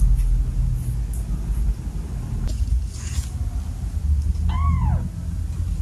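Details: A domestic cat in a home with seven cats gives a single arched, rising-then-falling meow near the end, over a steady low rumble of background noise.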